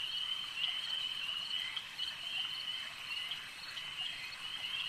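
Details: Many frogs trilling together at a lakeside, a high, unbroken, pulsing drone with small rises and dips in volume and a quieter patch near the end.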